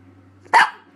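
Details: A four-month-old Boston Terrier puppy lets out one short, sharp, slightly hoarse bark of upset.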